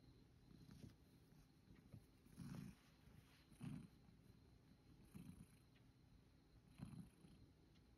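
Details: Male rescue cat lying on a bed, kneading, then falling asleep contentedly while being stroked; soft, low rhythmic purring pulses about every one and a half seconds over a faint steady background hum.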